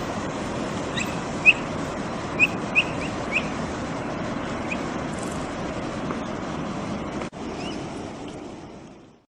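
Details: Capybara from Brazil chirping as it feeds: four or five sharp, thin, upward-flicking peeps in the first few seconds, then only steady wind and rumble before a sudden cut and fade.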